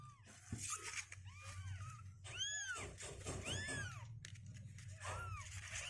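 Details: Several 16-day-old kittens, now stronger and climbing out of their box, call with bright, curved, rising-then-falling mews, a few loud and piercing, against a low room drone.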